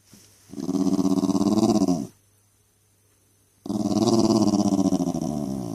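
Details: Jack Russell Terrier kept as a family pet, grumbling and complaining nonstop: two long, throaty, rumbling growl-like bouts with a rapid pulsing texture, split by a short silent gap.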